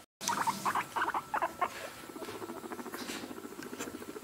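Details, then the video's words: Two pet guinea pigs named Zoe and Evie on a dining room floor: short bursts of squeaky chirps in the first half, then a steady patter of rapid soft clicks and footsteps. "Guinea Pigs on dining room floor"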